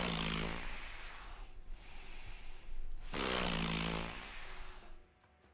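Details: A seal, described as the southernmost seal species in the world, gives two long, wet, snoring grunts of about one and a half seconds each, low and rasping, with a short pause between them.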